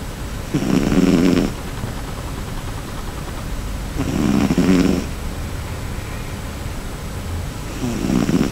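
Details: Sleeping cat named Cherry gives big, rough snores. Three drawn-out rattling inhalations arrive about three and a half seconds apart, separated by soft, steady background hiss.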